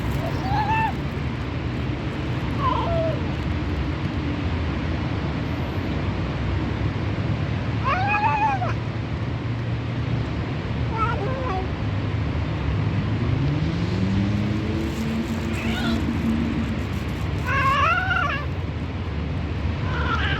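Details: Very hungry fat white stray cat during feeding, meowing repeatedly across twenty seconds in short arched calls, some doubled, spaced a few seconds apart, with a constant low rumble and a passing engine-like sweep in the background.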